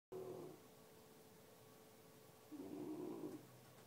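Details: Lilly, an 8-month-old English Bulldog, asleep on a couch indoors, gives two soft snoring breaths with a faint whistling tone and a quiet pause between them.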